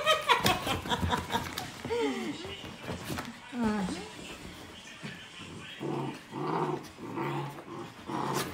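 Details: A nine-month-old Pomeranian Keeshond playing with a two-month-old Husky indoors; high yelping whines and rough growls, followed by a woman speaking Tagalog to the dogs.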